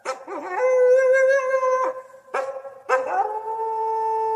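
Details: Coyote howling in three drawn-out, steady tones, each opening with a short wavering rise before holding level, separated by brief pauses.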